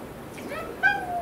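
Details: Domestic cat protesting during a home vet visit, being treated for a respiratory infection; a faint rising whine is followed by a loud, harmonic meow that holds steady and then slowly falls.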